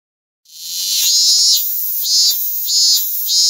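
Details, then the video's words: A robust cicada (minmin-zemi) calling nearby sings a loud, shrill buzz that swells and dips in steady pulses. "セミの鳴き声『ミンミンゼミ』 Semi barks "cicada" 매미 울음 소리 "민민제미""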